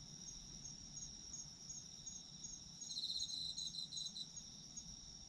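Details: Chorus of autumn insects meant for sleep: steady high trilling with faint regular ticks, then a brief louder spell of rapid chirps in the middle before settling back to the even hum.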